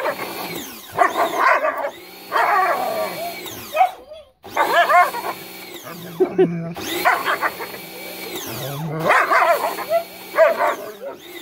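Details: Bubu the German Shepherd lunges at a water hose, barking and growling in four clustered bouts separated by short pauses. The barks are rough and harmonic-rich, with steady hose noise humming underneath.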